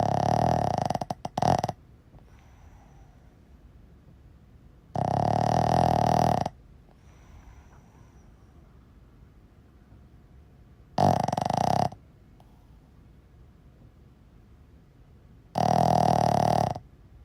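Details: Asleep Boston Terrier, called a seal dog, giving four coarse, buzzing snores of one to two seconds each, spaced about five seconds apart, with soft breathing in the quiet gaps.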